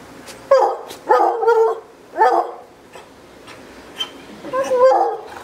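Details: Redbone Coonhound, a pet dog, egged on by people to bark: several short, hoarse, mid-pitched barks and yelping bursts in quick clusters, with quiet voices in the background.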